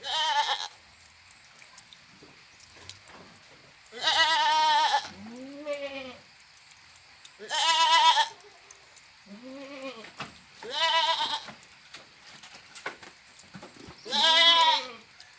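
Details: Repeated goat bleats roughly every two to three seconds, loud harsh nasal cries alternating with softer, lower wavering ones, with brief quiet pauses between them.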